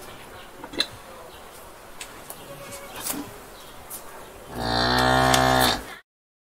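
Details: Cow in a barn lets out one long, loud, droning moo after a stretch of quiet barn knocks and clatter.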